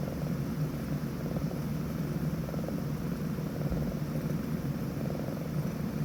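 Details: Sleeping Scottish Fold kitten snores in a slow, even rhythm, each soft rasping breath returning about every 1.2 seconds against a constant low room hum.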